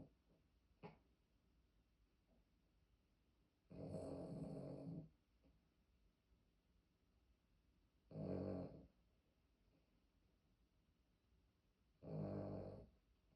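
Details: An old pet poodle snoring heavily indoors: three rough, rasping snores, each about a second long and roughly four seconds apart, with quiet breathing in between.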